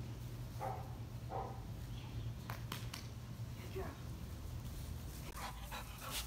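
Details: On bath day, two black Labrador Retrievers, Bess and Saucy, indoors; a few short, sharp barks and sounds of movement stand over a steady low hum, with faint whines early on.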